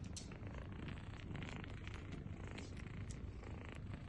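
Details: Kittens nursing from their mother cat: a steady low purring rumble overlaid with quick, irregular soft clicks and wet smacking sounds of suckling throughout the short stretch.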